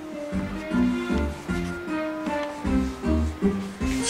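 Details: Plucked string music plays throughout, with a steady rhythmic bass line and melody notes and no animal sound.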